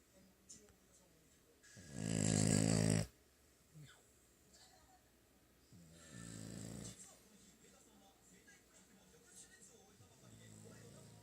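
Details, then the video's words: Sleeping French Bulldog Hana snores in a small room, one loud harsh rattling snore lasting about a second, then softer drawn-out breathing snores, with a steady faint hum underneath. "フレンチブル ハナのいびき"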